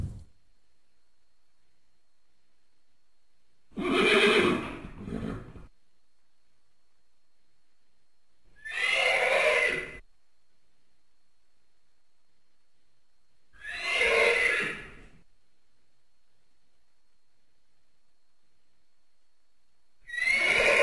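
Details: Horse (Equus caballus), whinny.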